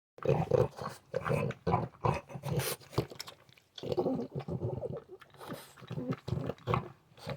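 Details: A male French Bulldog, heard by his owner every morning on waking, makes rapid, pig-like grunts and snorts in rough, pulsing bursts.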